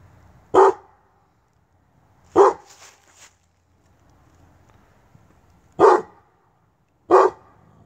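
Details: Kennel Tosa Inu called Brute barking in single deep woofs spaced well apart, four strong barks with long quiet gaps and a brief softer huff after the second.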